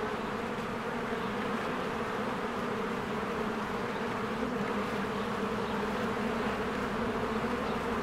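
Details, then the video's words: Honeybees in spring flying in and out of their hive as flowers bloom, busy at work. A dense, steady buzzing drone fills the recording, with low humming bands and a continuous hiss of wingbeats and no pauses. "1 Hour of a Beehive ASMR"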